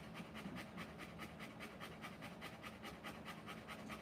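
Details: Rottweiler panting while giving birth to puppies: rapid, regular breathy pulses about two to three per second, steady throughout, with a low background hum.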